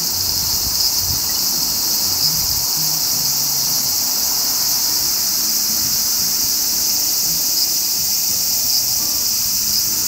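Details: Large brown cicada (aburazemi), a Japanese woodland cicada of July to September, giving an unbroken, even sizzling drone high in pitch, steady in loudness for the whole ten seconds, with no other clear sounds.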